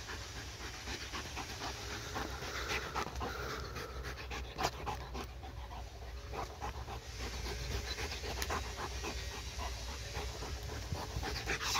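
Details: Household dog, worn out from playing with a laser pointer, keeps up steady rapid panting for about twelve seconds. Soft breathy bursts run unevenly over a constant low room hum.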